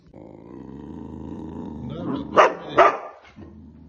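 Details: Boxer dog making a low, drawn-out, rumbling grumble for about two seconds, then two sharp, close barks less than half a second apart, followed by a brief quieter grumble.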